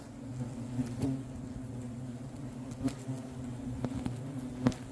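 A dense, low, droning buzz of many hornets in an agitated colony, broken by sharp ticks.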